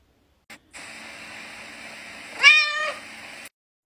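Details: A pet cat gives one short meow of about half a second, rising then falling, over a steady electronic hum, with a faint click just before.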